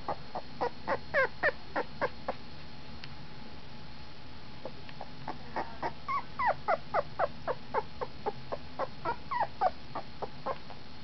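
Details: A 15-day-old red nose brindle pit bull puppy whimpering and squeaking in short, high, bending yelps, repeated rapidly in bursts with a brief pause midway.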